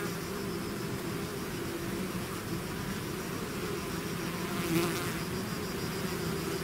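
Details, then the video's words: A honeybee swarm pouring out of its hive fills the air with a dense, steady hum, a low droning band layered with many overlapping wingbeats, one brief louder pass near the end. "bees therapy swarm natural buzzing sound"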